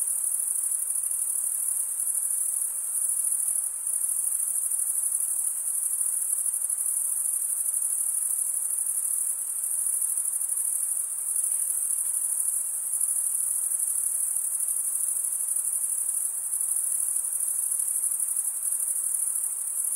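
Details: Night-time summer forest chorus of crickets, a continuous very high, finely pulsed ringing that barely varies in strength, nothing else clearly audible beneath it.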